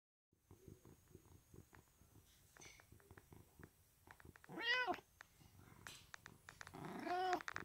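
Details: Domestic cat resting indoors in a loaf pose, giving two drawn-out, rising-then-falling meows, the second longer and wavering, after a run of soft, rhythmic low pulses like purring in a quiet small room.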